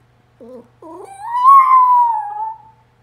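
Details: A Pomeranian "singing" after watching a YouTube video for dogs gives two quick yips, then a long, wavering, high-pitched howl.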